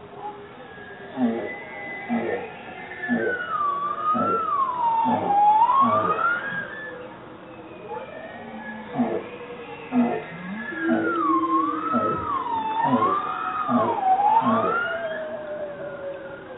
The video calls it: Bowhead Whale Song Spectrogram